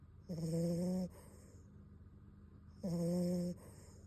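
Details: Beagle puppy Bon asleep, giving two droning snores about two and a half seconds apart, each a low buzzy tone with a thin airy whistle, quiet breathing between.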